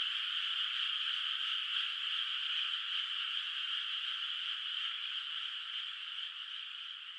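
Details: Distant frogs calling at night in a moonlit rice field whose water has not yet been planted with rice. A dense, unbroken chorus forms a steady, high-pitched churring wall of sound, with no single caller standing out and no other sounds.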